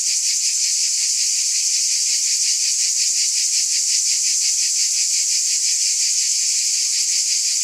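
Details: Dense, piercing buzz of cicadas sustained without a break, its fast pulsing beat clearly felt under the high hiss; no birds, wind or voices.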